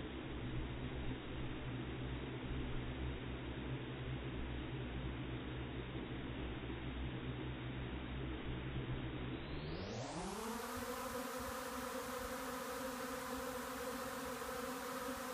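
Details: Honey bee swarm descending on a yard to fill a vacant hive box, recorded by phone in slow motion: a deep, slowed droning hum that sweeps upward in pitch into a steady, layered buzzing drone.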